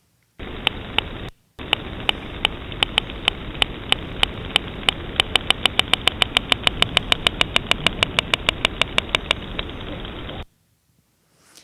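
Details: Narwhal (Monodon monoceros), echolocation clicks: probing the environment; rapid buzz just before prey capture.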